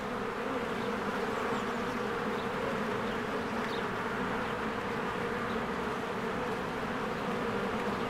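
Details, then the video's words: Spring hive of honeybees flying in and out, recorded with a Canon EOS R. A continuous droning buzz fills the whole stretch, even and unbroken, with only scattered faint high ticks above it. "1 Hour of a Beehive ASMR"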